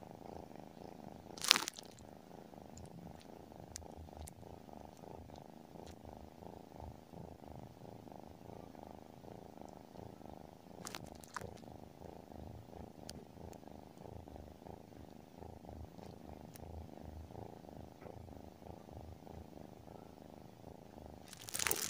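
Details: Tabby cat named Sky purring in sleep, a long unbroken low vibrating rumble with a regular pulse, with loud rustling bursts at the beginning, in the middle and at the very end.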